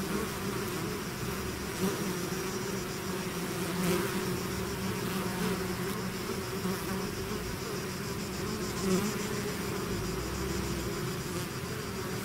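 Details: Bees swarming out of their hive produce an unbroken, thick buzzing drone, low hum under a fizzing upper layer, occasional single bees zipping past louder.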